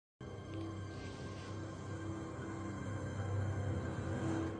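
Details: Dark, ominous music with a steady low rumbling bed plays throughout, with no animal calls.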